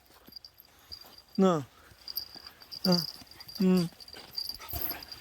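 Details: Puppy reunited with its former family a month after being given away, seemingly having waited for them, gives three loud, sharply falling whining yelps about a second apart, with outdoor background and brief voices.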